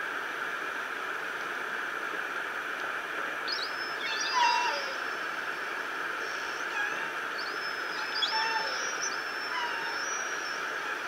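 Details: Orcas of an unidentified pod, very active for hours, give a few high, squealing calls that sweep upward and break off in two bursts over steady underwater hiss and rumble, on the Lime Kiln hydrophone, San Juan, Washington, around 11 p.m. EST.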